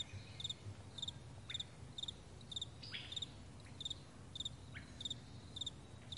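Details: Morning crickets across a vast meadow: sharp paired chirps repeating roughly every half second, with scattered brief rising bird calls and a gentle low-frequency hum.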